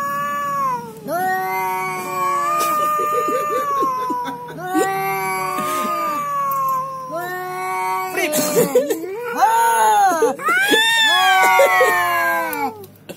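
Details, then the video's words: Cat yowling on meeting a rival, the two butting heads; long drawn, wavering moaning wails rising and falling in pitch, repeated several times with brief gaps and some scuffling, music underneath. "Kucing Lucu Saat Meraunng"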